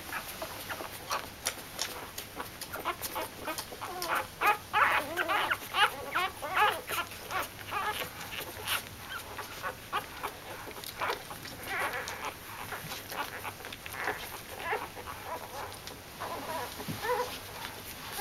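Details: Corgi. A litter of week-old corgi puppies whines and squeaks, the thin high cries tumbling over one another almost three times a second. Soft rustling and faint background noise run underneath.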